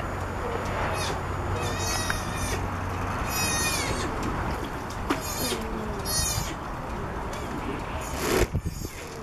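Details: On a boat in Monterey, California, a southern sea otter pup roughly three weeks old cries for its mother; several thin, high, harmonic wails at intervals, partly masked by steady low mechanical hum and a brief knock near the end.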